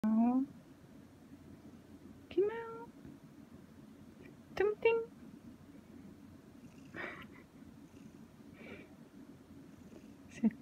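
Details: Indoor cat chattering under a chair while its owner works, wanting to be petted or held: several short, rising meows and chirps, some doubled, separated by pauses of a few seconds in a quiet room, with faint rustling.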